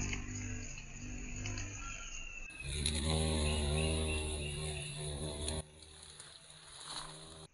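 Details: Deep humming drone of a violet carpenter bee, Mazovia, Poland, rising in strength midway, holding steady for about three seconds, then fading. Soft bird chirps are heard in the background.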